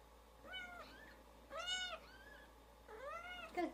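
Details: Newborn kittens cry with their mother away, the mother cat Daisy nearby: three clear, high, arched mews, each slightly rising then falling, spaced about a second apart, in a quiet indoor room.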